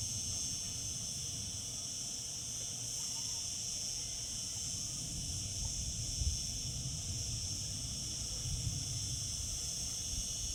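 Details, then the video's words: Cicadas singing in summer: a steady, unbroken high-pitched drone with shimmering upper layers that holds level throughout, over a low rumbling background. "Cicada sounds, cicadas singing in summer."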